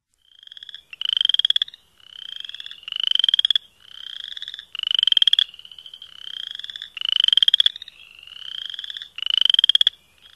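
Chorus frogs call with short, rising trills of rapid pulses, like a fingernail run along a comb's teeth. A nearer frog repeats every two seconds or so while fainter frogs answer between its calls.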